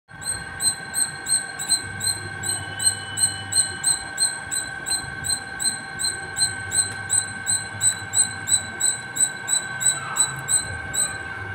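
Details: Squirrel calling nonstop from the top of a terrace: sharp, high chirps repeated steadily about three times per second for the whole stretch, over a constant low electrical hum.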